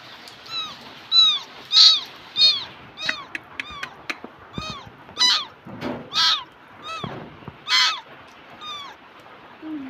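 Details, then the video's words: Domestic cat in Bangladesh meowing repeatedly, each call a short bright rise and fall, roughly one to two per second, with a few louder, harsher meows among them and quiet background hiss. "Cute Cat Video In Bangladesh"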